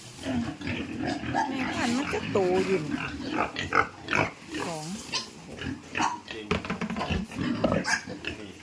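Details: Piglets being moved into fattening pens on a pig farm give short rising-and-falling squeals and grunts in quick, irregular bursts, with a person talking over them throughout.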